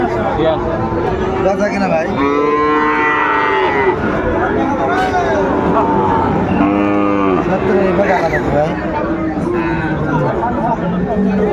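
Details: Sahiwal bull calves at a busy cattle market in Kushtia, Bangladesh, on 13 February: two long lowing moos, one near the start and another midway, over steady crowd noise and men haggling over prices.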